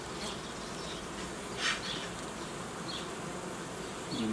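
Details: Dense buzz of honey bees at an apiary where young colonies are formed from queen cells, with a brief rustling burst early on and scattered high chirps.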